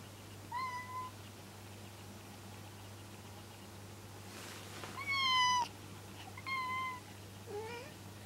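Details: Kuri, a male cat neutered as an adult, calls while approaching Kinako, another cat, indoors, a behaviour that can last five minutes; four drawn-out tonal meows, the second louder and rising, over steady low hum.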